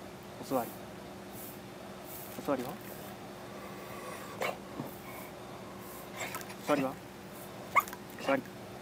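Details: Beagle named Root, a pet dog, excited while doing tricks such as sit, paw and other paw; short high-pitched whimpers and yips come in scattered bursts between a person's repeated spoken commands to sit.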